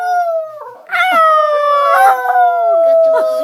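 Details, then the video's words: Loud, sustained dog howl recorded on a train, starting after a brief fainter note and sliding gently downward in pitch for over two seconds, with a person's voice mixed in. "Singing dog...."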